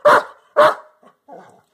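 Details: A Belgian Malinois gives two sharp, loud barks about half a second apart, then softer rumbles. He barks on another Malinois's growl command, held back from his ball while she guards it during training.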